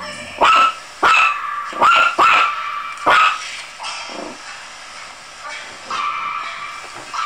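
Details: Scared Chihuahua puppy giving sharp, high-pitched yappy barks, five in quick succession over the first three seconds, then softer whining tones near the end.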